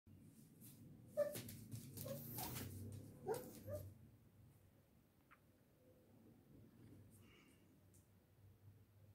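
A young Rottweiler lets out a quick run of high, squeaky whimpers mixed with soft, breathy yelps over a few seconds. After that burst the pup goes quiet, leaving only faint room noise.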